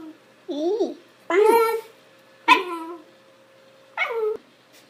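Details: Shiba Inu indoors voicing its funny sound: four squeaky, wavering yelps spaced roughly a second apart, pitch swooping up and down in a talkative, whining pattern, over a faint steady background hum.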